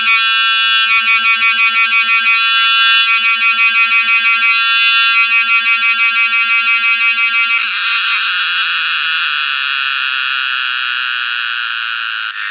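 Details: Cicada song, the sound of summer. An intense, shrill buzz throbs in rapid regular pulses, about three per second, in bursts. After roughly eight seconds it changes to an unbroken, steady metallic drone that fills the rest.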